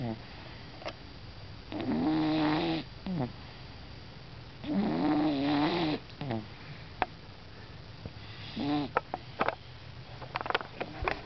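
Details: A plump orange cat snoring, with drawn-out, buzzy, wavering breaths about a second long, separated by quieter stretches of soft breathing and faint clicks.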